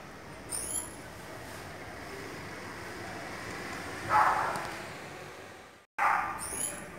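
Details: Bat giving short bursts of very high, thin squeaks that slide downward in stacked chirps, once near the start and again at the end, with a broad rustling burst between them over a steady background hiss.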